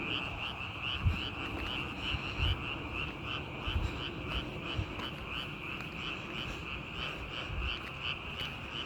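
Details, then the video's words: Frogs calling outdoors, a steady chorus of repeated pulsed croaks around a constant mid-high trill band, with irregular low thumps and background rumble throughout. "개구리 울음소리"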